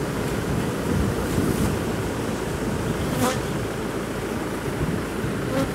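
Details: Large honey bee colony being removed from a sealed-off, disused chimney; a dense, steady low droning hum of many bees fills the recording throughout, with a few brief sharp knocks or clicks around the third second and near the end.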